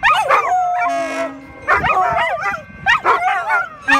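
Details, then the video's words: Three pet poodles howling together in reaction to a train whistle; overlapping, wavering, quavering howls rise and fall in bursts with short yips, while a steady, flat whistle-like tone sounds briefly near the one-second mark. "Poodle Choir: Three Pups Howl at Train Whistle Serenade!"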